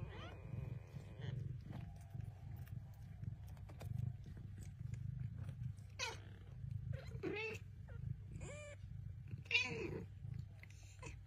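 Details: A talkative Bengal mother cat and her talkative kittens trade short meows and chirps over a low rumbling background.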